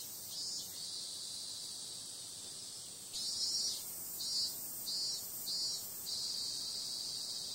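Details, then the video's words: Cicadas calling at night in summer, a shrill, even buzz that steps up sharply in loudness midway. Rapid pulsing bursts then repeat roughly every half second. "Cicada sound"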